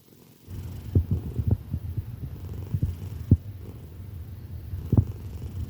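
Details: Female tortoiseshell cat asleep and snoring very loudly: deep, low rumbling breaths in uneven pulses, with several sharper snort-like bursts standing out above the steady drone.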